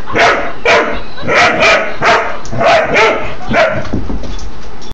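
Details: A Doberman Pinscher puppy barks at a laughing toy dog: about eight short, sharp barks in quick succession, evenly spaced about half a second apart, close and loud indoors.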